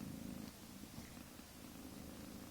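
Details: A soft, steady, low purr from a mother cat with her kittens a few weeks old, continuous with slight pulsing throughout and faint background hiss.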